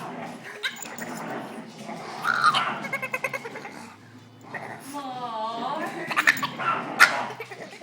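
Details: Male Boston Terrier, frantic because he can't play with the other dogs, gives odd warbling, wavering whines and grumbling noises amid sporadic clatter, with human voices in the background.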